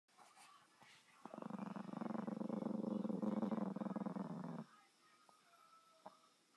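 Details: A dog growling: one low, rumbling, steady growl lasting about three seconds after a quiet start, then fading to faint background hiss with a couple of soft clicks.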